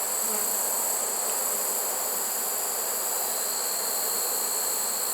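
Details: Honey bee swarm caught in a swarm trap on 1 September, late in the season: a steady, dense hum without pauses, with a constant high hiss above it.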